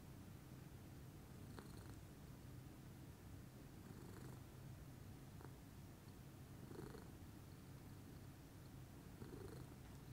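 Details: Pudding, a lilac Scottish Fold cat, purrs calmly in the morning: a continuous low rumbling drone with steady pulsing texture throughout, a few faint higher ticks and rustles breaking above it.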